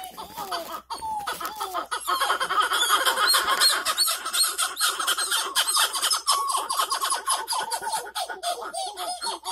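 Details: Masked titi monkey (Callicebus personatus) calling to mark territory and drive off other males of its species: a dense, continuous stream of overlapping, rapidly repeated descending notes over a bright, high-pitched background chorus.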